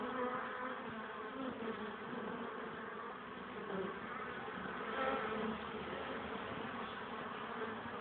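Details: Honey bees carrying pollen at the hive on a sunny but cold, windy 21 April 2013 at 1 pm, 12 degrees; a dense, continuous buzzing hum of many bees with faint layered tones, slight swells near five seconds.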